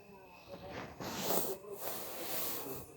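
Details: Shih Tzu named Pandora snoring while lying beside an armchair, after she disliked being petted and the camera light on her face and asked to get down from a lap; breathy, hissing snores in four rhythmic pulses.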